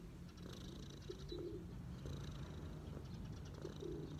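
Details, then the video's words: Cat relaxing on its owner's knees, giving a steady low purr. A pigeon coos twice nearby, and small birds twitter faintly. "cat’s relax on my knees 🐈‍⬛| cat purring"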